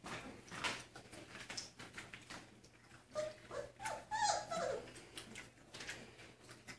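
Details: Chocolate Labrador Retriever puppies, the litter of foster mother Josie, indoors eating their first solid puppy food and drinking from a water bowl; brief high whimpers rise in the middle among wet lapping and chewing clicks.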